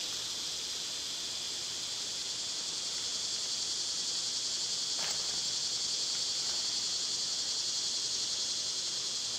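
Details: Cicadas in summer keep up a high, pulsing, raspy buzz that swells gradually louder across the stretch, with a couple of brief clicks about halfway through.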